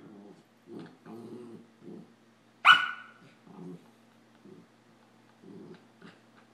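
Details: Samoyed puppy Adam and a Rat Terrier puppy play fighting; short low growly bursts come in a loose series, broken by one sharp bright snap near the middle, with quiet room hum between.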